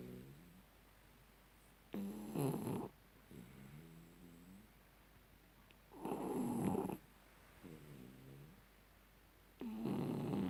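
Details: Shar pei named Tyson snoring while asleep after having his ears cleaned; loud rough snorts about every four seconds alternate with softer, lower rattling breaths, indoors.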